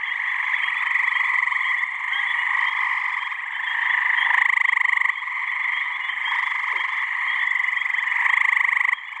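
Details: Crowded mating chorus of male gray tree frogs in a New Hampshire swamp during mid-May, warm evening; overlapping buzzy trills fill the air nonstop, louder close callers rising out at intervals of several seconds.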